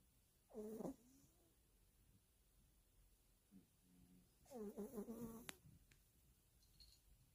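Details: A sleeping Yorkshire Terrier snores: a short raspy breath, then a longer rattling one about four seconds later. A faint tonal murmur sits between them in an otherwise quiet room.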